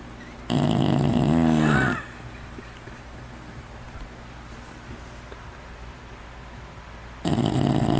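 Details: Sleeping pet bulldog snoring loud indoors; one long harsh rasping snore with a wavering, gurgling texture, then quiet breathing, and a second loud snore starting near the end.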